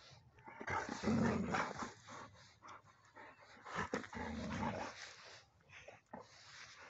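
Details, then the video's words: Alaskan Malamutes outdoors in a rural field, jumping with excitement at the sight of rams; loud, rough, growling yowls and whines in irregular bursts, with a person calling encouragement nearby. "Malamutes start jumping when they see Ram's in a field."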